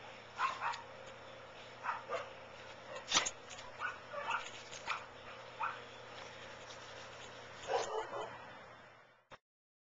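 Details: A Chow Chow fooling around while playing with dad, giving short yips and gruff barks in irregular bursts spaced about a second apart, with a louder cluster near the end before the sound cuts off abruptly.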